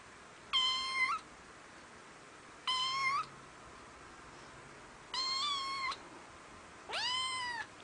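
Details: Domestic cat meowing four times over about eight seconds, each meow a short, clear, harmonic-rich cry roughly half a second long, the last one rising then sliding down; quiet room background between calls.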